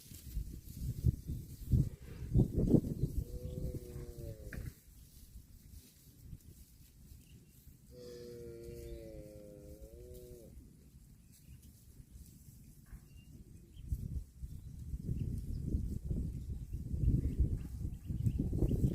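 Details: Cow mooing twice: a harmonic, slightly wavering moo of about two seconds, then a longer, level moo of nearly three seconds after a pause, over steady low rumbling background noise that swells at the start and end.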